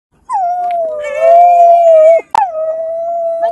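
A Samoyed gives a long, steady howl, briefly broken, then drawn out again.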